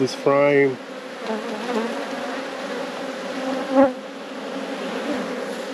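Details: Steady, even buzzing of honey bees at a hive being inspected in a beekeeper's apiary. A short spoken word comes at the start, then the low drone goes on unbroken, with a faint knock near the fourth second.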